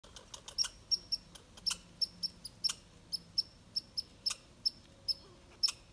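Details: Red squirrel calling while chasing off a grey squirrel: sharp, high-pitched squeaky chips repeated in an irregular stream, roughly two or three per second, with quiet background.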